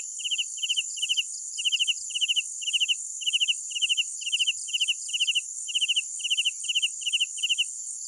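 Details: Night-time cricket chirping: clean, loud trilled chirps of three or four pulses each, repeated in an even rhythm, layered over a constant high ringing insect chorus with no other sounds.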